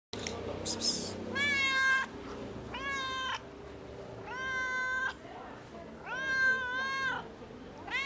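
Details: A fluffy domestic cat meowing loudly while asking for food: four long, drawn-out meows, each lasting close to a second, rising then falling slightly, repeated about every one and a half seconds, with brief rustling at the start.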